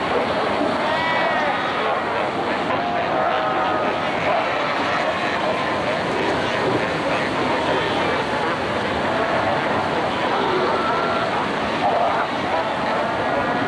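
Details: Cape fur seal colony at Cape Cross Seal Reserve on Namibia's Skeleton Coast, 1992, with seals fighting, sunbathing and rearing pups; a dense, unbroken chorus of overlapping bleating and moaning calls fills the whole stretch.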